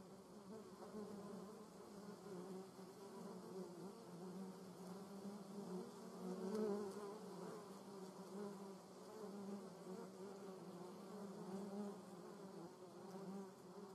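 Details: German wasp in a garden, buzzing in flight: a steady low droning hum with layered overtones, briefly swelling louder around the middle as it passes closer, then settling back to an even whir.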